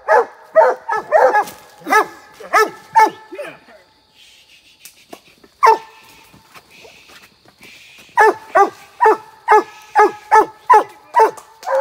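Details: Hunting Treeing Walker Coonhounds split at a tree, barking: bursts of ringing, falling barks in quick series, a quieter gap near the middle with faint high hissing noise, then barking resumes steadily.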